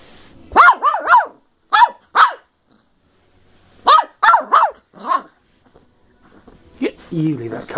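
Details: Molly, a playful 10-week-old female Bedlington Terrier puppy of working strain from the hills of South Wales, recorded 14 December 2013 at home; high yappy barks in quick bursts of three, two and three, a lone bark, then a brief human voice.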